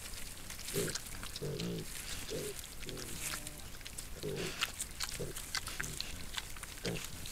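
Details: Wild boar sow with her piglets, caught on a trail camera in a Sologne forest in France, give low, throaty grunts in short bursts about every half second to second, over a steady rustle and crackle of movement.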